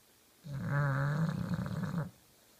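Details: One loud, grating snore about one and a half seconds long from the sleeping pet bulldog Kenta, fluttering slightly as it ends.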